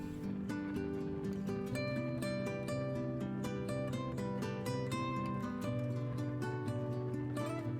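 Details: Strummed acoustic guitar music plays steadily, with no animal sounds heard.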